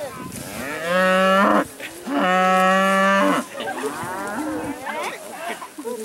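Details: Dairy cattle on spring pasture for the first time this year: two strong, steady moos of about half a second and one and a half seconds, separated by a brief pause, followed by softer mixed calls from other cows.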